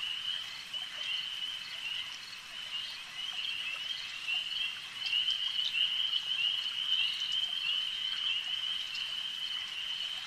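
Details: A lakeside frog chorus: many callers trill together in a continuous high, buzzy band that swells slightly louder midway, with occasional sharp ticks and drip-like sounds scattered through.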